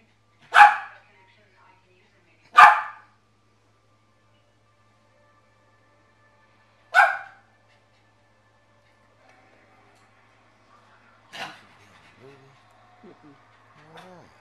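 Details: Joker, a pet dog, protesting that he dislikes the dish his food is served on: three loud, sharp barks, two close together and a third about four seconds later, then quieter mixed noises and a person speaking softly.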